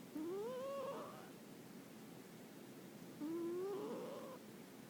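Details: Pet cat Kuri asleep and snoring, two drawn-out nasal whistles that slide gently upward in pitch, about three seconds apart, in a quiet indoor setting.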